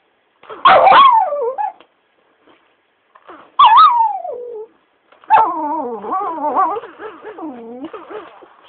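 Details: Pestered by its owner, a Shiba Inu lets out loud yelping complaints that slide downward, then a long, wavering, yodel-like whine with rising and falling pitch lasting several seconds.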